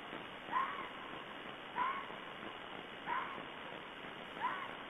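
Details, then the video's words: Red fox calling on February 16, 2012: four short, hoarse barking yelps, each with a quick upward inflection, spaced roughly every 1.3 seconds over a steady hiss of background noise. "Fox calls"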